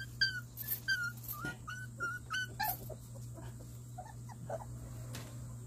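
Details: One-month-old Jindo fighting-dog cross puppies, siblings receiving their combined vaccine, sleep-talking: thin, high whining squeals in quick bursts over the first three seconds, then softer scattered murmurs over a steady low hum.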